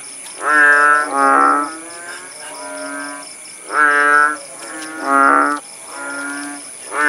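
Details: Rural Paya Bujok Tunong in Langsa, Aceh, after the rain stopped: kodok bangkong frogs give six hoarse, moo-like croaks of varying loudness, some doubled in quick pairs, with a constant thin high-pitched drone behind them.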